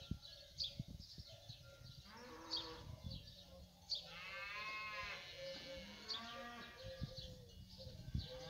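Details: Fighting bulls at feed call twice, each a rising, harmonic lowing lasting about a second. High bird chirps are scattered throughout, with rustling and low thuds from the herd.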